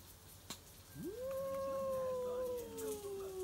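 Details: Stray cats at midnight, defending territory in a backyard: one long drawn-out yowl that rises sharply, then holds a steady tone and slowly sags lower toward the end, over a faint background hiss.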